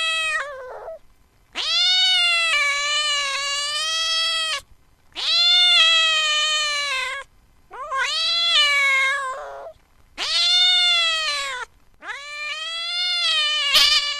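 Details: Cat (Felis catus), angry yowl.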